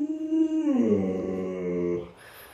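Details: Pet Alaskan Malamute named Luoluo howling: a clear held tone drops partway through into a deeper, rougher wavering note that lasts about a second before stopping, leaving quiet room noise.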